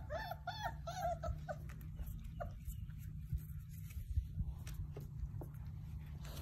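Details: Playing Basset Hound puppies open with a burst of rapid, wavering whimpers and squeals lasting about two seconds, then fall mostly quiet with a few faint yips, a low hum underneath throughout.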